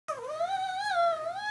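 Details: Female pet dog making a gurgling vocal sound with her toy billy goat indoors: a single steady, tonal moan lasting over a second, wavering gently in pitch with a slight rise at the end, with no other sounds.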